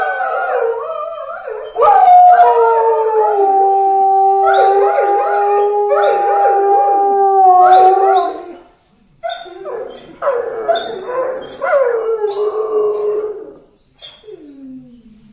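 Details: {'caption': "Saarloos wolfdogs howling at home, set off by a passing mobile baker's fanfare. Long, smooth, sustained howls with clear harmonics overlap in a group chorus, break off briefly, then resume as shorter wavering howls that fade out."}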